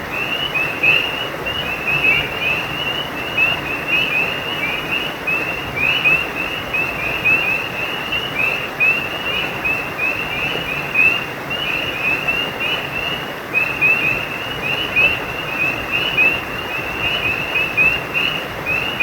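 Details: Frog chorus at a creek, with dense overlapping bright chirps that sweep upward and repeat without pause. Steady splashing stream noise fills the background.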